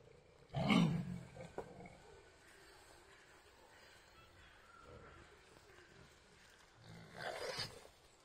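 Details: Friendly wild boars accompanied by piglets; a short, harsh, low grunting burst sounds near the start, then a long quiet stretch, and a second rougher grunt-squeal comes near the end.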